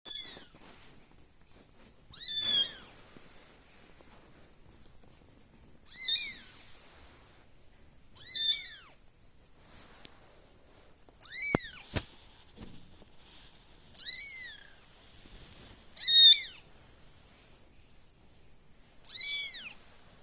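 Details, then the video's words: One of a cat's five kittens, searching for its siblings, gives high, thin meows, each arching up then falling, repeated every two to three seconds. "so many cute kitten making sounds!"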